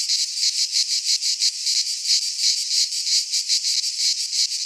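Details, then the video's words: Cicadas in song during midsummer among Greek pines; a loud rasping buzz broken into fast, even pulses, roughly three per second, with no other animals or noise. "Cicadas singing in midsummer - Nature sounds from the Greek fauna - Sounds of cicadas"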